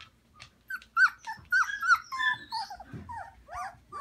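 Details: Samoyed puppies in a bigger indoor pen in a living room with their mothers, Prince Edward Island, Canada, in March; a busy chorus of high, overlapping whines and yelps, many short calls rising and falling, some sliding downward, at rapid irregular intervals.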